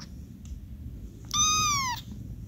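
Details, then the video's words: Little Dots, a tuxedo kitten from a stray cat's first litter, sheltered in an office, gives one soft high meow that arches then slides downward, lasting about two-thirds of a second, over a low background hum. "Meowing softly and gently. Little Dots the Tuxedo Kitty Cat."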